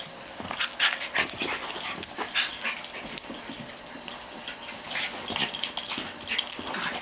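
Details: Year-old Norfolk Terrier play-wrestling indoors with an 11-month-old Brussels griffon/border terrier cross, a routine friendly game: rough, rapid snarling growls and short yips in quick irregular bursts, both dogs vocalising.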